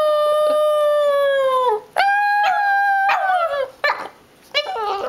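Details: A Boston Terrier howls along as his owner sings, in long, wavering, tonal notes that slide gently downward.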